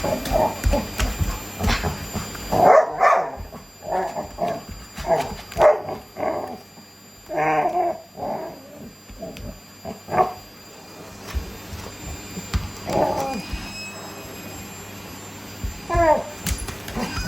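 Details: Labrador Retriever struggling with a vacuum cleaner, eager to be sucked up by it; short bursts of barking and whimpering yips scattered through the clip, with vacuum hum and household noise underneath.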